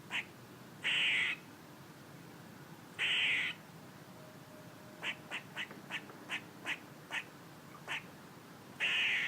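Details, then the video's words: A squirrel gives harsh, buzzy, nasal bursts about half a second long at intervals, then a quick run of short, sharp chucks, then another buzzy burst; faint steady background hiss. "A squirrel making noises"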